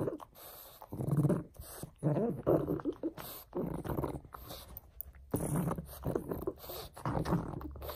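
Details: Gruff, low snorts and snuffles come from Frank the pug as he plays with a bone, in uneven bursts with muffled chewing noise in the gaps.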